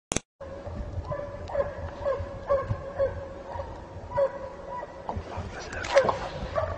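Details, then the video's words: Kopay hound baying while hunting hare in snow, heard at a distance: short tonal yelps repeated at uneven intervals of about half a second to a second, over steady outdoor noise with faint human voices. "Kopoyla karda tavşan avı Kopay sesi dinlemek isteyenlere"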